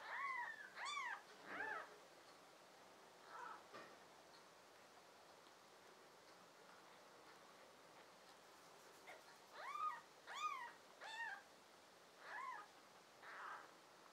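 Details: Young American Shorthair and tabby kittens, one of a litter of five filmed in summer, June 2022, give a series of arched, rising-then-falling mews in bursts, several in quick succession, with quiet gaps between groups.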